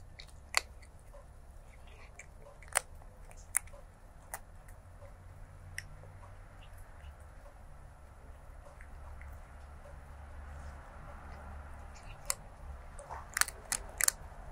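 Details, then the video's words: Crunching kibble, a stray kitten eats, recorded 23 January 2024 on a stereo lavalier microphone: sharp dry bites at irregular intervals between quieter chewing, several quick crunches clustered toward the end, constant low indoor hum beneath. "Stray Kitten ASMR Eating & Crunching Food Sounds"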